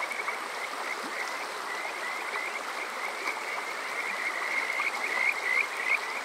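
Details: Summer-night Kajika frogs at Yokoze, Saitama, Japan, recorded on a TASCAM DR-05X: faint, distant chirping under a broad stream hiss, building to a few clearer rising notes near the end.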